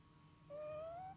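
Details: Male cat asleep and snoring, giving a single clear whistled tone that glides smoothly upward for about half a second over a low steady hum.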